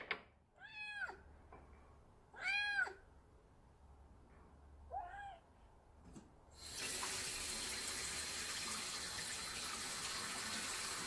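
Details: Female odd-eyed Munchkin short-legged kitten, born July 2018, at home: three arched, harmonic meows, the middle one loudest and the last one softer, spaced about two seconds apart, before a tap starts running steadily.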